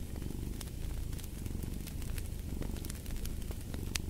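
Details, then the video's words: Low, continuous cat purr with a soft pulsing throb rising and falling with breathing, accompanied by scattered crackling snaps of a burning fireplace. "the Purring of a Cat"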